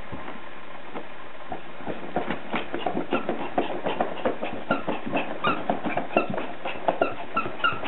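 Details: Male Yorkshire Terrier at play: short, high, slightly tonal yips repeat quickly in the second half among dense scratchy, clicking rustles of movement.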